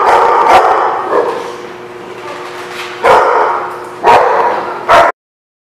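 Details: Dogs at a barking lot, recorded 16 May 2016: a few sharp barks at the start, then three loud, harsh barks about one second apart over a steady background hum.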